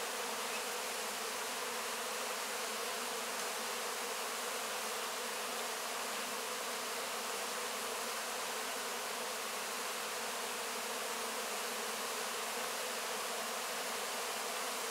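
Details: Honey bees working over wax cappings after the honey harvest, recorded close in: a continuous massed hum that stays level and unbroken for the whole stretch, a broad hiss-like drone of many wings.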